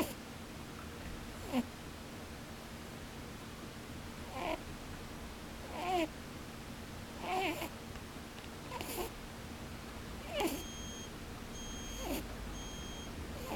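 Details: Snoring rabbit that sleeps with its eyes open: a run of soft, squeaky nasal puffs, 'pū pū, bū bū', recurring roughly every one to two seconds, with a low steady hum underneath.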